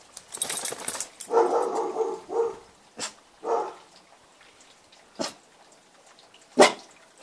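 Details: Newfypoo dog rolling around while barking: a few harsh, mid-pitched barks and grumbling vocal bursts in the first three seconds, then short sharp barks spaced a second or more apart, with quiet pauses between.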